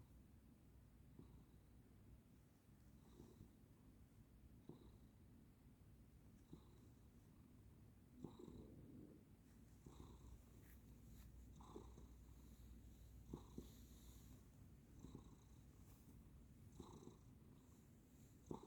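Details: Soft snoring from a sleeping pet cat: a continuous low rumble with gentle breath pulses roughly every one and a half seconds, some faint airy hiss on each breath, in a quiet room.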